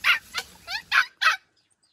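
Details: Two young white rescued stray dogs barking in protest at being shut in a newly bought cage. Sharp, high yelping barks in uneven bursts, a few with bent, wavering pitch, then quiet.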